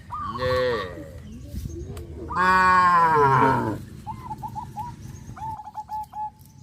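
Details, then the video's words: Cows herded along a road in the countryside, giving two drawn-out, deep harmonic moos a couple of seconds apart, followed by quick high chirps from a small bird. "Farmer's activity of herding cows on the road to go and return, sound of cows"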